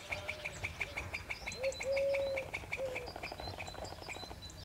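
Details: A squirrel beside a cemetery gives rapid, sharp chipping alarm notes, about three a second, after spotting the cameraman, warning another squirrel that was eating to flee.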